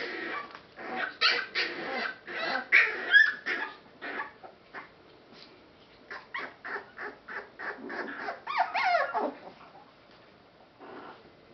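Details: Litter of rescue Boston Terrier/Pit Bull mix pups giving quick, scratchy yips and squeals, first in a dense burst, then in a steadier series, ending with a couple of sliding, wailing whines.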